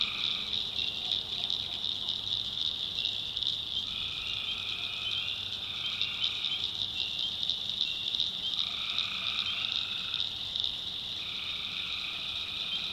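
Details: Nocturnal tree frog chorus from a North Carolina backwoods swamp: steady high-pitched pulsing wall of calls, with lower buzzy trills overlapping in bouts of a second or two from several frogs.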